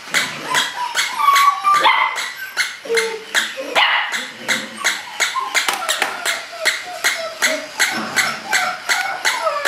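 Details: English Springer Spaniel puppy barking rapidly and continuously: sharp, bright yaps about two to three per second, irregularly spaced, with a brief whiny tone mixed in near the start.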